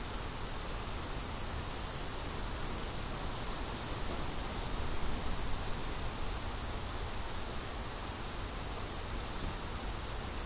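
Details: Crickets keep up a continuous high, shimmering trill without breaks, steady in loudness, with gentle wind rustling underneath.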